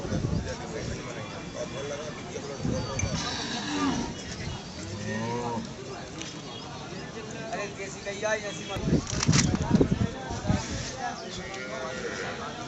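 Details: Desi cow at the Gadarwara animal market in Madhya Pradesh giving low, drawn-out moos with stacked harmonic bands, mixed with men talking and general market bustle around the animal.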